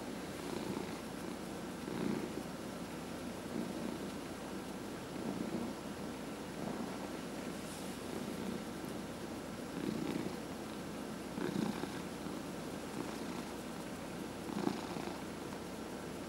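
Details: Pet cat, 14 and a half years old, purring steadily while receiving a head massage; a low continuous rumble swelling in soft pulses about every one and a half seconds, with faint rubbing sounds and a quiet room hum.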